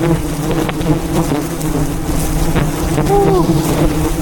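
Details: Wild bees swarming a giant hive being harvested high above the ground in the mountains; a thick, steady low drone of many wings, with a brief whistled note near the end.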